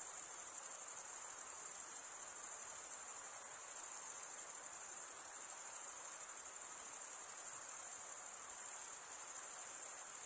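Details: A steady, unbroken wall of high, rapidly pulsing cricket chirps, made by males scraping wing against toothed wing vein, holds constant level throughout with only a faint low hiss under it.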